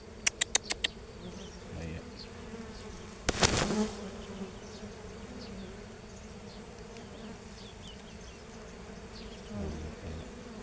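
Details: Bees in a natural setting giving a continuous low buzzing drone, opening with a few sharp clicks and a brief loud rustle a few seconds in.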